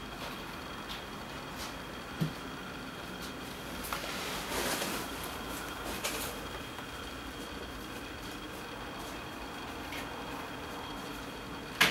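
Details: A steady indoor hum with a few soft clicks and knocks, and no animal voice.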